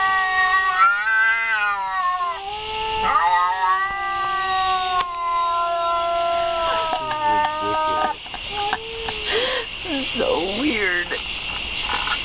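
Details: Cat yowling in long, wavering harmonic wails that rise and fall in pitch, broken by short bent cries near the end, over a steady high hiss.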